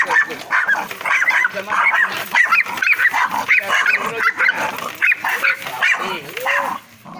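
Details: Angry, aggressive dog in a cage giving rapid, harsh barks in irregular bursts, several per second, with short pauses between volleys, while people talk in the background.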